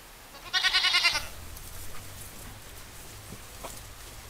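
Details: Village goat giving a single tremulous bleat, under a second long, made of quick pulsing wavers, then a low background hum and faint knocks.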